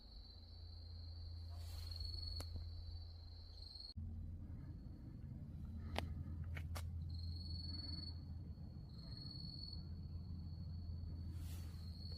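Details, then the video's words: At nightfall at Wonhyosa on Mudeungsan in October 2024, grass insects keep up a thin, continuous high trill that briefly breaks and resumes. A low, steady rumble lies underneath, with a few sharp clicks. "어두워진 산사에서 풀벌레소리"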